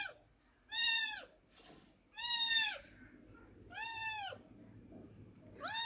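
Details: Young kitten visiting a home from a neighbouring house, repeating bright, falling meows roughly every one and a half seconds, four complete calls with another starting at the end, over soft room noise.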